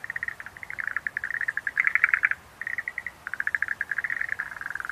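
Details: Dense run of Schlegel's green tree frog calls: rapid rattling pulse trains at a mid pitch, nearly continuous, with one louder bright burst near the middle and a short pause before the chattering resumes.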